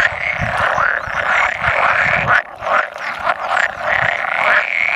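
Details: Spawning assembly of roughly 100 male pool frogs on 16 May 2017, with an edible frog croaking now and then. An unbroken, layered croaking chorus, with individual voices rising out of it, dips briefly at mid-clip.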